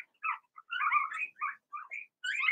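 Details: A Blenheim Cavalier King Charles Spaniel litter, four males and two females, in an indoor whelping pen. A fast jumble of high squeaky whimpers and little cries overlap, rising and falling, with only brief breaks.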